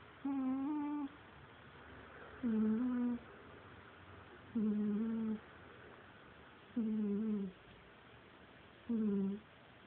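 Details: Steady rhythmic snoring from Cagney the cat, five even, whistle-like humming breaths with a slight quaver, each lasting under a second and repeating about every two seconds in a quiet indoor room.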